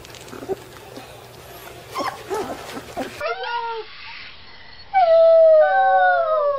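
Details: Puppy learning to howl: after a stretch of muffled human talk, short wavering yelps lead into a sustained howl that falls in pitch and ends with a downward slur.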